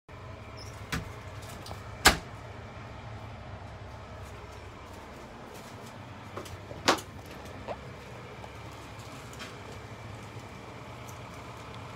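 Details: A steady outdoor vehicle hum broken by a few sharp door-like knocks and clicks, and no barking or other animal voice heard.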